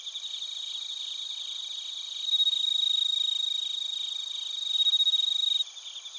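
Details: Japanese crickets, bell crickets among them, at Narita in Chiba, recorded via TASCAM Portacapture X8; shrill rapid chirping pulses in stacked high bands, growing louder in two swells before easing off.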